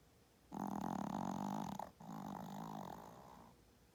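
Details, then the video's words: Sleeping pet dog, tired out from playing hard, gives a loud, coarse, rattling snore of over a second, a brief pause, then a softer, longer rasping snore that fades out. "Little dog, big snores"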